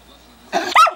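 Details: A male Schnauzer barks at his own reflection in a mirror: one short, sharp, harsh bark that breaks into a second, higher-pitched yelp right after a quiet moment.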